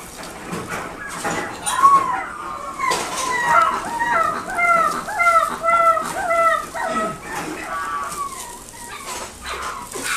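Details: Shiba Inu puppy at a Nagoya pet shop, Japan, whimpering in a run of short arched, rising-then-falling cries repeated about twice a second for several seconds, amid indoor shop clatter and murmur.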